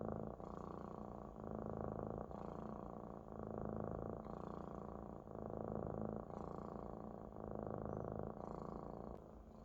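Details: Close, loud purring of a contented Maine Coon kitten resting on its large adult friend; rumbling purr swells and fades with each breath, about every two seconds, five cycles heard.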